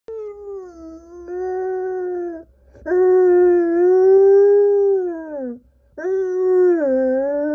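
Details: Louis, a Samoyed left alone in a hotel room for a few minutes while food was fetched, howls dramatically: three long, steady, tonal howls with rich harmonics, each a few seconds long, separated by short breaths, ending in a dipping tail.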